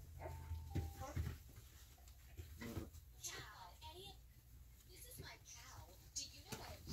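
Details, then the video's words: Three-and-a-half-week-old Alaskan Malamute puppies at play, giving brief wavering squeals and whimpers between dull knocks and shuffling, over a constant low electrical hum. "3.5 weeks Alaskan Malamute Puppies Playing"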